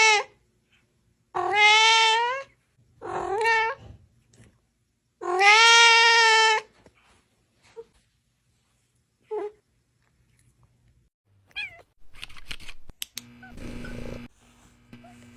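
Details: Cat giving a run of long, wavering meows early on, then faint brief squeaks and clattering household noises toward the end.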